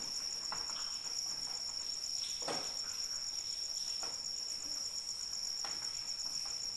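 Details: Continuous shrill cricket trill, rapidly pulsed and even, laid over gentle steady rainfall with occasional louder drops.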